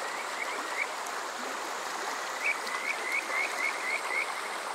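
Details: Kajika frog at night in summer, Water Park Shirayama, Yokoze, Chichibu district, Saitama, Japan, on a TASCAM DR-05X: a few soft whistles, then a run of sharp rising notes, about three per second, above a hissing stream.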